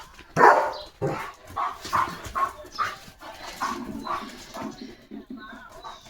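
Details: A German Shepherd on morning guard duty barks in a run of loud, gruff barks, jumping, at another dog passing in front of the gate, while the owner talks and calms him nearby.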